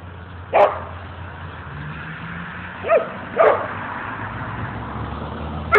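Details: Mookie and Maeby at play in Bassett Park, Hamden, Connecticut: scattered single barks, four in under six seconds at uneven gaps, over constant low background rumble like passing traffic.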